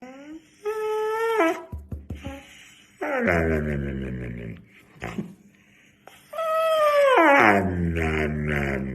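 A Siberian Husky gives drawn-out, yodelling howls that bend up and down in pitch, in three bursts.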